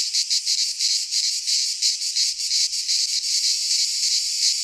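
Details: Greek cicadas in a midsummer pine forest produce a loud, grating, high-pitched buzz, broken into short throbbing bursts early on, then merging into a steadier drone, with a faint low rumble beneath.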